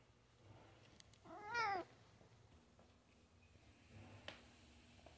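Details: Housecat excited at a squirrel visitor by the window lets out one short, bright meow that bends up and then down. Faint room noise follows.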